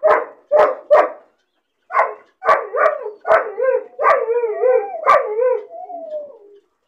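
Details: Puppy left caged alone and lonely: quick yapping barks in a cluster, then strained, wavering yelps that melt into a long falling whine at the end.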